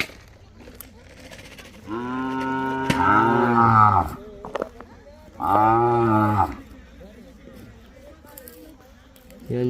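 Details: Mysore/Khillar calves tethered in a row in Maharashtra give two long, deep, harmonic moos, the first about two seconds and the second about one, with a man talking quietly between and around them.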